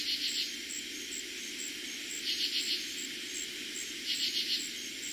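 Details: Katydids heard at night in eastern Pennsylvania during summer 2021, their first night of the year: three quick pulsed rasps about two seconds apart, layered over a constant high cricket hum.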